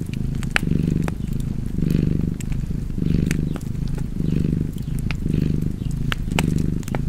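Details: Relaxed cat purring, a soft vibrating rumble that grows louder on each breath about every second, mixed with sharp, irregular snaps of a fireplace.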